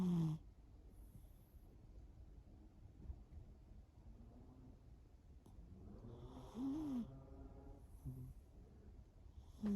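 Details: Shimao, a cat asleep, gives occasional snores: a brief whistly one at the start, a softer rising-then-falling wheezy tone near the middle, and another at the end, with long quiet breathing gaps between.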